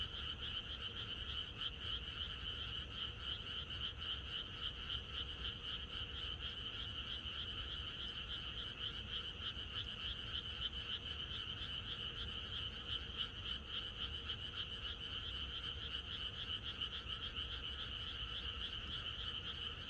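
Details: Countryside frogs in full chorus the night before rain: an unbroken, evenly pulsing drone of many overlapping croaks, high-pitched and ringing, steady in loudness from start to finish over a low ambient rumble.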